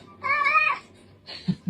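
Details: Pet cat giving a single drawn-out, slightly strained meow lasting about half a second, followed by a faint short sound and light knocks in a quiet room.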